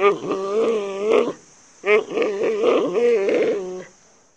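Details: Panda bear calling: two drawn-out, harmonic bleating calls with a wavering, slightly nasal tone, the first about a second long, then a pause and a longer, wobbling call lasting about two seconds.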